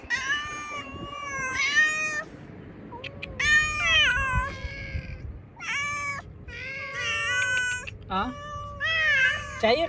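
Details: Outdoors, hungry cats fed cut fish give a steady stream of loud harmonic meows, several drawn out and wavering, some sharp and short, with a few clicks and low rumbling noise.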